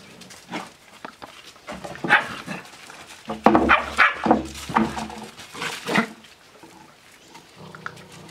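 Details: Seven-week-old Australian Shepherd puppies at play: a cluster of short, harmonic yelps and rough growls bunched in the middle seconds, over constant soft scuffling and pattering of paws.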